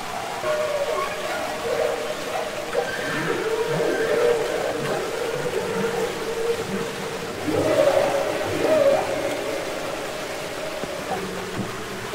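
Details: Humpback whale song recorded underwater (Capitol Records ST-620): drawn-out mid-pitched moans with wavering, bending tones, several brief upward and downward glides, and a louder burst of warbling notes partway through, over a continuous watery hiss.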